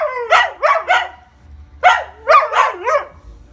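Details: Two-part burst from pet Siberian Huskies talking to each other: three short bending yowl-barks, a pause, then four more, each sliding up and down in pitch; low background rumble.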